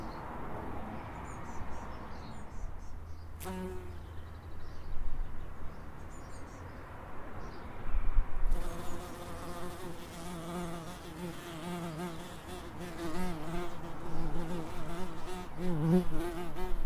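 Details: Droning bee hum in an Edinburgh suburb, a low steady buzz that rises in intensity in the second half, with a sharp click early on and distant bird calls.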